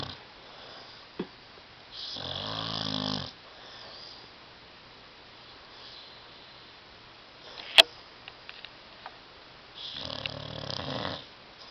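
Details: Tyson the dog, asleep on a love seat and snoring very loudly; two long, harsh, rumbling snores about eight seconds apart, separated by quiet breathing and a single sharp snap.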